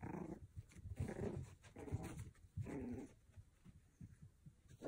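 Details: Playful Pomeranian puppy growling steadily in a small room, a deep rumbling snarl rising and falling in several swells over five seconds, with soft scuffling noises.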